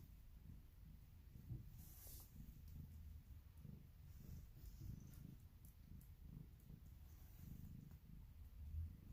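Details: Female polydactyl domestic cat indoors, described as making weird noises; a steady low rumbling purr pulses through the whole stretch, with a few faint rustles and clicks above it.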